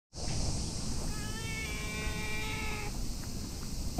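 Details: Tabby cat lying on a bench outdoors while being petted by a person: one long, steady, tonal meow of nearly two seconds, level then fading, over constant high insect-like hiss and low outdoor rumble.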